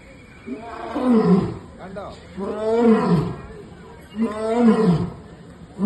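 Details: A lion at Trivandrum Zoo gives three deep, moaning roars, each swelling and then falling away, about a second apart.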